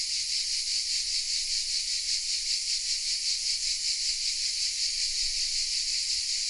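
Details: In the south of France, at the village of Vézénobres, cicadas in the oaks keep up a continuous shrill, sizzling drone that swells and fades in quick regular throbs, captured on a Sony RX10 M3 camera.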